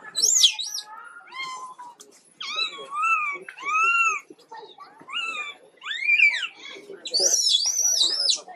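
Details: A poorly baby monkey named Quinton gives a run of high, arched wailing cries, each rising then falling in pitch, in bursts of about a second with short pauses; the last calls climb higher and sound shriller.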